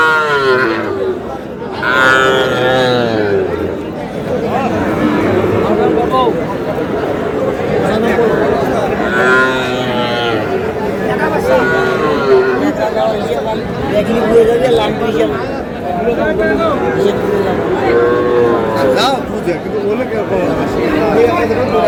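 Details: Little bull calves for sale at a market as a farmer from Madaripur shops, 4 August: scattered wavering moos repeat across the stretch, half buried under loud crowd noise and men calling out prices.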